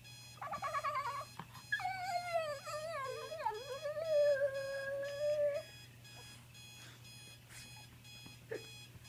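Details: Pet French Bulldog howling at a disliked alarm clock: a quick yip, then one long wavering howl of about four seconds that dips and levels off. Electronic alarm tones continue throughout.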